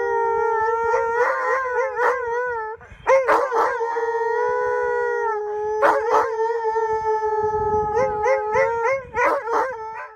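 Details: Pair of Siberian Huskies near Regina's Mosaic Stadium giving lonesome, sad howls; sustained level tones with wavering pitch overlap, punctuated by sharp yips and breaks, the duet continuing to the end.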